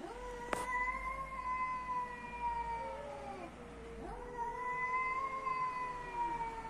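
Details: Cats in Athens, Greece, meowing: a long, drawn-out, moaning meow that slides slowly downward for about four seconds, then a second rising, wavering meow begins. A sharp click sounds near the start, over a low steady hum.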